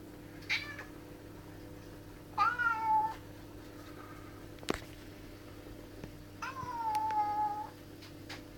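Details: Angry domestic cat in a garden, reacting to a magpie and another cat intruding on its space: three drawn-out, wavering meows. The longest falls in pitch near the end, over a quiet hum with a sharp click midway.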